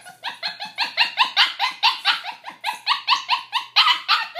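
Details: A young female adopted puppy kept in a pen gives rapid monkey-like yelping whines. The bright, harmonic yips are repeated about four times a second without a break, with a short upward then downward bend on each note.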